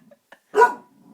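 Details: Single short bark from a 3-month-old Bassador puppy in a bedroom, reacting to his own reflection in a mirror and not happy about it; one brief harsh burst with faint rustles before and after.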